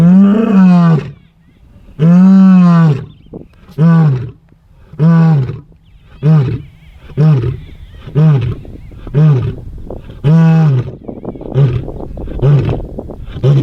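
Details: Ndzhenga male lions roaring in displays of dominance and strength across dry bushveld: a series of deep, moaning roars with strong low harmonics, starting long and swelling, then shortening into quicker grunts about once per second.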